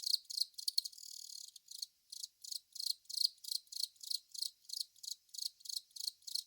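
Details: Velarifictous aspersus cricket, a long-mouthed cricket, singing in a steady series of short high buzzy chirps, about three per second, with a denser rasping burst near the start.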